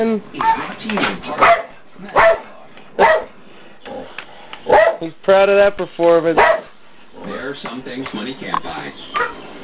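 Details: Pet Dalmatians, one singing and a second dog adding background vocals, howl along to a TV theme song they have sung to for years. Wavering harmonic howls come in bursts of one to two seconds with pauses between, over the music.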